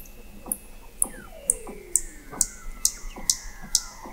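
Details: Weddell seals beneath sea ice in McMurdo Sound, Antarctica, November 2017, from an observatory 21 m deep: high sharp pulses repeat about twice a second over faint falling glides and a long steady tone.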